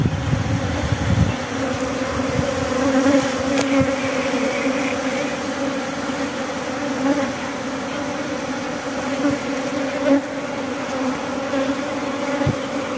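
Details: Constant humming of many honey bees while honey is harvested at Glodok: an even, sustained drone with faint clicks and knocks scattered through it.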